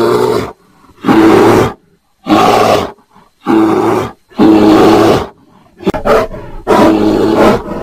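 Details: A mating bear gives deep, rough roars in bursts of about a second, repeated with short pauses.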